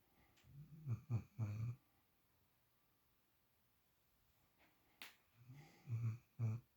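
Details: A female puppy asleep in a spot usually taken by Shadow snores in low, raspy bursts. A group of three comes first, then silence and one sharp click, then another run of throaty snorts in a quiet room.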